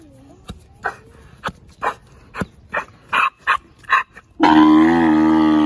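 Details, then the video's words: Captive adult male Grevy's zebra, aged seven, at Los Angeles Zoo: short, evenly spaced gasping grunts build over four seconds, then burst into a loud, drawn-out, richly harmonic braying call. "グレビーゼブラ カルファニの泣き声"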